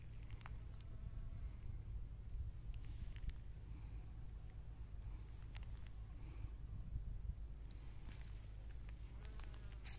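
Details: Honey bees at work among spring flowers, a steady low droning buzz running unbroken for the whole stretch, with a few faint ticks and brief higher rustles scattered over it.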